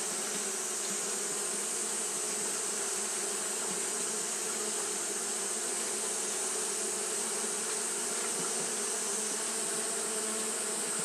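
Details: Steady drone of Japanese honey bees fanning in the heat: an even, unbroken buzz with a low humming core and a high sizzling hiss running throughout.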